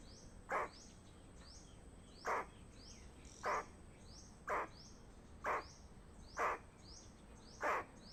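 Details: Squirrel giving a danger warning: short harsh broadband chucks, one every one to two seconds, seven in total, over quiet outdoor background noise.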